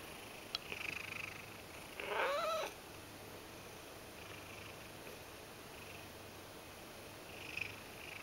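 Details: Begging Ragdoll cat kneading: soft low purring runs throughout, broken by one brief wavering meow near the two-second mark and a few faint clicks.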